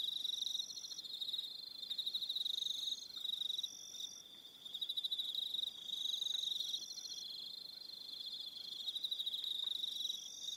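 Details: Steady evening insect chorus from Aroha Island in New Zealand: many crickets trilling at high pitch, beaded pulsing phrases rising and fading in waves, with a short lull midway.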